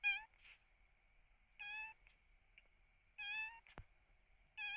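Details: Rescued kitten sick with cat flu, eyes nearly shut from discharge, mewing repeatedly in short, strained, high-pitched cries about every one and a half seconds; a constant thin electronic whine runs underneath and a brief click sounds near the end.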